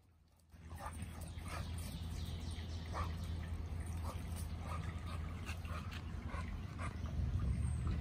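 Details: American Bully dogs playing: Gucci boi, a 10-month-old, with 11-week-old Nala. Short whimpering yips and whines come in quick irregular bursts over a steady low hum.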